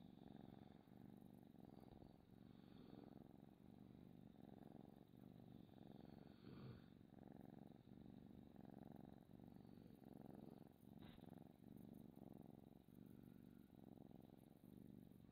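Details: Close, intimate purring of a domestic cat, the low rumble swelling and fading in a regular rhythm roughly every half second to second as it breathes in and out.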